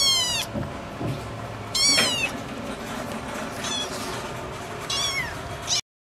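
A Scottish Fold cat gives a series of short, high, bright meows with gaps between them.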